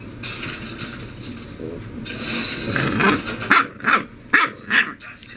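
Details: English Bulldog puppy indoors, battling a baby gate after being left alone: low rumbling scuffles, then four sharp, yappy barks in quick succession over the last two seconds.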